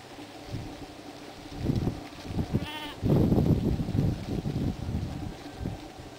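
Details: Lamb in spring at White Clover Sheep Farm, Rushville, upstate New York, giving one short wavering bleat, followed at once by loud low thumping and shuffling noise.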